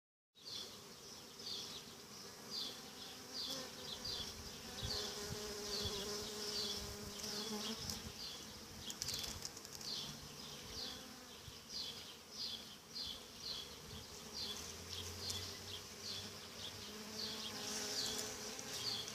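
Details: Honey bees humming steadily, a dense continuous buzz with a low drone and brighter pulsing hiss in the upper range swelling and fading irregularly throughout.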